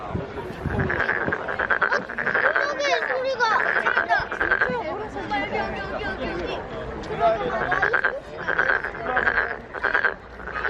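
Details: Korean frog filmed calling at the Nowon lantern festival: long series of buzzy, rattling croak bursts repeated steadily over ten seconds, mixed with crowd voices and talking.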